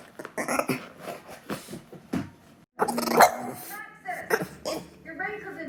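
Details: A male French Bulldog makes strange, warbling, alien-like whines and grumbling "howls" while begging after seeing McDonald's food, which he has craved since once stealing a fry.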